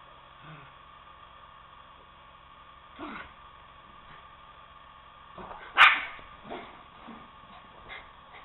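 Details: Two poodles, Toby and Lucy, wrestling at home as Toby tries to get Lucy off the couch to play; a sharp loud bark near six seconds, with softer yips and short growly bursts around it over a steady low hum.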